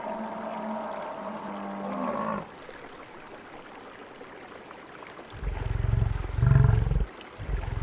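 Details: Wild buffalo in savannah habitat: a wavering, harmonic lowing call for about two seconds, then quiet hiss, followed by heavy, very low rumbling grunts in pulsing bursts.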